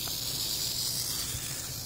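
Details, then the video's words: Continuous hissing buzz of a rattlesnake rattling, one of a pair met in the Everglades and recorded by phone; the high, even rattle holds level for the full two seconds over a low hum. "Serpiente Cascabel rattlesnake"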